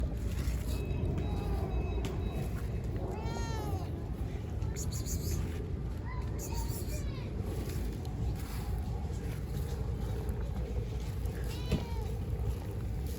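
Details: Giant stray cat on a street in Istanbul, Turkey, hungry for food and attention, giving several drawn-out arched meows near the start, middle and end, over a steady low street rumble.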